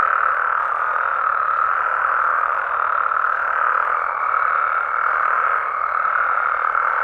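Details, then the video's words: Mexican frogs and toads calling at night in natural habitat in Mexico: a dense, unbroken chorus of many overlapping croaking voices forming a steady, humming wall of sound with no pauses. "Mexican Frogs & Toads Sounds"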